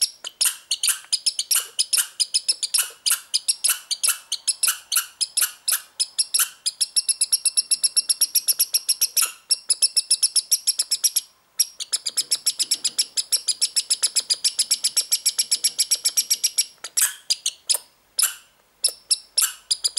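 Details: Young American red squirrel, born this year, gives rapid, high, dry chattering pulses running into long buzzy trills; unusual behaviour lasting 2–3 minutes, owner unsure of its meaning as too young for mating ritual.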